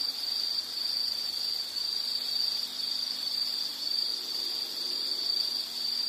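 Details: Calming insect sound for relaxation: a thin, even, high-pitched trill running unbroken, quieter than the others, over a soft low hiss.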